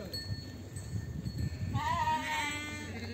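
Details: A single quavering sheep bleat at a farm where lambs are being separated from ewes, breaking out after nearly two seconds of low background rumble and fading out wavering at the end.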